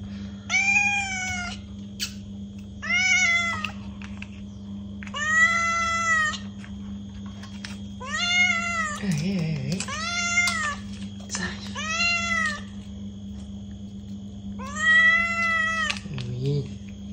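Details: Cat meows meant to attract a cat or make it react: a run of about nine short harmonic mews, each rising then falling, spaced roughly a second or two apart, over a steady low electrical hum.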